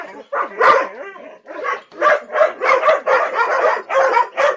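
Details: Gollie puppies aged ten months anticipating breakfast, adult dogs looking on; a few sliding, wavering whines open the clip, followed by a regular series of short, excited yips about twice a second.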